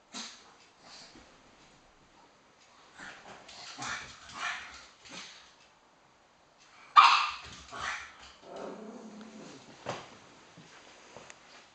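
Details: Two pet pugs playing King of the Sofa, one gaining the high ground and leaving the other very cross. Scattered short rough bursts with quiet gaps, a sharp yelp-like bark near seven seconds, then a tonal grumbling growl.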